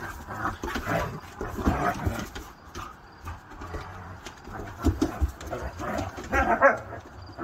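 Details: Siberian Huskies playing rough together, sounding like a real fight: low, rumbling growls and grumbles come in uneven bursts throughout, with a brief higher whine near the end.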